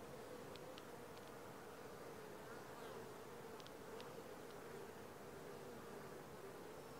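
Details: Honey bees at the landing board of a Langstroth hive, four days after transfer from a nuc: a steady, even droning hum with a mid-pitched tone, and a few faint high clicks.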